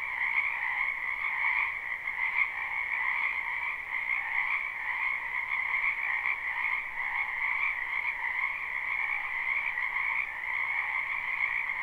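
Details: A live recording of springtime frogs in a wetland: a thick, unbroken chorus of rapid trilled croaks with slight swells in strength, a higher band over a lower one, and nothing else audible.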